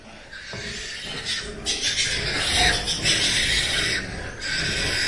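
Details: Pigs on a farm with newborn piglets, eyes not yet open, coming to suckle; dense, harsh, noisy squealing fills the upper range in overlapping bursts, with a brief quieter dip near the start.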